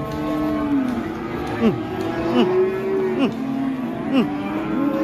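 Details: Cattle calling as they are let loose and start raging, with an elderly handler nearby; a long level moo followed by short bent, falling lows about once a second, with people talking in the background.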